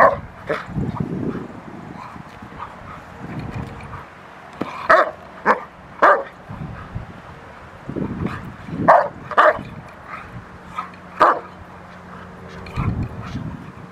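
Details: Rottweiler doing protection work on the post, March 27, 2021: loud, sharp barks in short bursts, about six strong ones over fourteen seconds, with low voices and background rumble between them.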